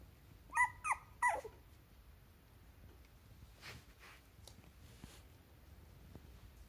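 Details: Teacup-size poodle puppy indoors, giving three short, high, yelping barks in quick succession within the first moment, each with a slight rising-then-falling bend, followed by a quiet room with faint rustling and soft shuffling.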